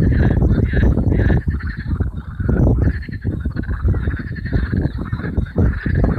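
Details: Hundreds of marsh frogs calling together on a warm May evening in 2015 at Allhallows marshes, North Kent; a dense, loud, unbroken chorus of overlapping pulsed, rattling croaks, rich in low tones, swelling and dipping throughout.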